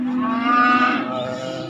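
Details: Calf or young bull at a livestock market: one steady, sustained moo lasting nearly two seconds, full and harmonic, holding an even pitch before fading slightly.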